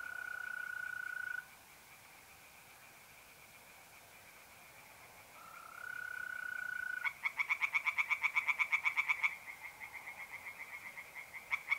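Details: Night chorus of tree frogs in a pond, mid-April, north-east Italy: a sustained mole cricket trill and a constant frog hum, then a loud two-second bout of fast, harsh pulsed croaks, followed by a softer distant chorus.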